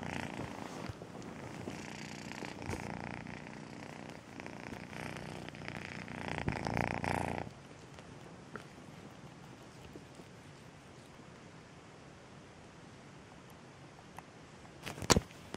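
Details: Melissa, a loving pet cat first adopted at two months old, purring strongly for about seven seconds before the sound drops to a quiet background, ending with a brief sharp knock.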